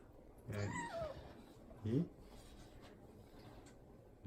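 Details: [1, 'yes', 'meow', 'Odeko, the most affectionate house cat in the household and a frequent talker, gives a single drawn-out meow that slides downward, then a short human voice follows in a quiet room.']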